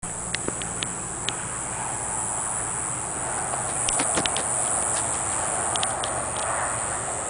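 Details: Diceroprocta olympusa cicada in Lehigh singing a steady, very high, unbroken buzz that lasts the whole stretch, with scattered clicks and faint rustling underneath.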